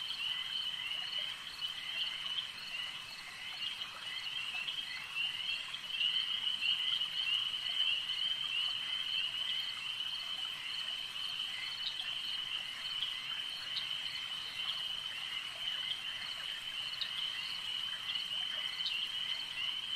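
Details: Frogs calling at a lake, a dense unbroken chorus of high, shrill trilling that holds steady throughout, with faint clicks scattered over the top.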